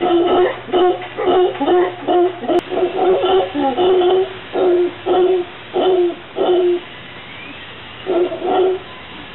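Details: In a Santa Cruz, Costa Rica garden, a visiting howler monkey group calls with steady, throaty woofing pulses, closely repeated at first, then spacing out and pausing before a final burst.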